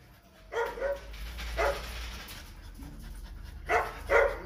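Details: Loud dog barks stand out against a steady hiss and low rumble, with single barks at the start and mid-clip and a close pair near the end.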